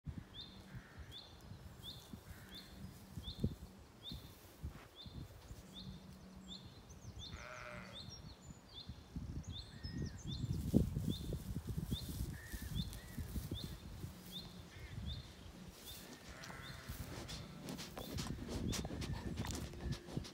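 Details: Zwartbles sheep, lambs and hoggets, on a regenerative farm in County Kilkenny, Ireland, on an evening walk through the field; a few short wavering bleats amid busy, rapid high twittering from swallows feeding overhead, with low rumbling background noise.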